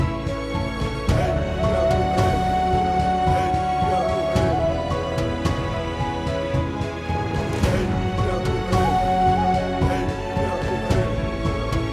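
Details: Dramatic orchestral soundtrack music plays throughout with sustained tones and rhythmic percussion; no bison or other animal sounds can be picked out.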